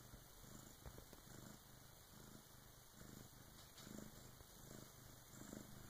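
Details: Bengal cat Karma delivering her first kitten, assisted by her big sister, purrs steadily; a deep, buzzy rumble in rhythmic breaths, a little stronger near the end, against a soft background hiss.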